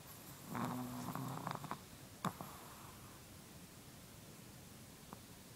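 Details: A Chihuahua asleep gives one drawn-out snore with a buzzing tone early on, then a brief snort, followed by near silence with room hiss.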